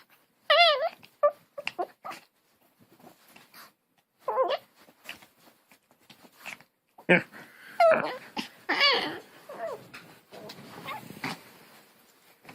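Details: Dog making weird noises in a home, giving short bursts of wavering, yodel-like whines and whimpers that rise and fall in pitch, spread over about twelve seconds with gaps, while people talk nearby in French and English.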